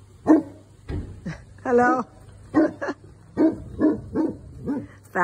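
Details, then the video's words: Newfoundland dog barking while protecting his property from a delivery truck; deep barks mixed with a woman's voice speaking over them. "Newfoundland dog Phantom protects his property"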